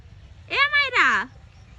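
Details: Domestic cat named Maira, high up in a big tree it has climbed, meowing while a person calls it down in Bengali; one loud two-part meow, the second half sliding downward, with calling voices around it.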